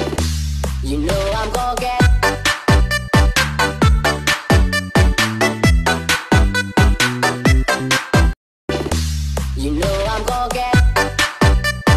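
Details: Loud electronic dance music with punchy repeated beats and a brief silent break midway; no animal is heard.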